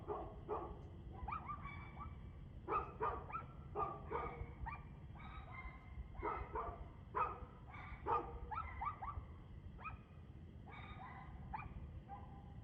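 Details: Persistent dog barking at 6:02 pm on 2/6/2024: a steady string of sharp barks, about two each second at times, with short gaps between runs and a low continuous hum beneath.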